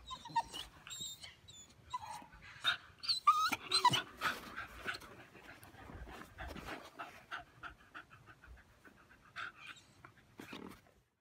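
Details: Blue Staffordshire Bull Terrier puppy crying: breathy panting mixed with short squeaky whines and whimpers, fairly continuous and loudest in the first half, fading toward the end.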